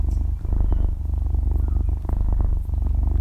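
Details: Six-month-old domestic kitten purring while asleep, recorded at very close range in stereo with no talking or music; a deep, steady rumbling motor-like purr with fast low pulses that swell and dip with its breathing.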